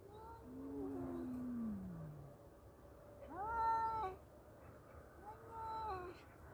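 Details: Two male cats in a fight trade calls: a sliding, falling low moan, then a sharply rising harmonic yowl, and another shorter wavering howl, roughly alternating every couple of seconds.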